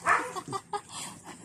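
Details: A noisy dog gives a short, sharp bark followed by a few fainter, broken yelps over about a second and a half.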